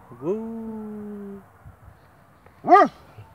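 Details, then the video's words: A Doberman howls along with an emergency siren, a long, steady howl that rises and then holds, followed by a brief arched yelp. "DOBERMAN-Nora howling with emergency siren"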